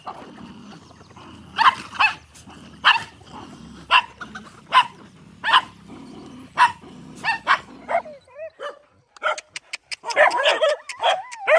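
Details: Many dogs eating rice together: sharp barks repeat irregularly over several seconds, followed by a rapid burst of high yips and whining calls near the end.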